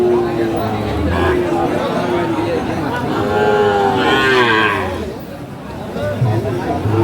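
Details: Friesian or cross-breed bull calf, about five to six months old, at Aftabganj cattle market in Dinajpur, Bangladesh, on 2 October 2024, gives a drawn-out, wavering moo midway, surrounded by steady men's talk and market chatter.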